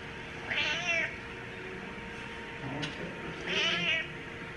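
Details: Domestic cat meowing at a cat cafe among other cats: two high, wavering meows about three seconds apart over a low indoor hum, with faint rustling between them.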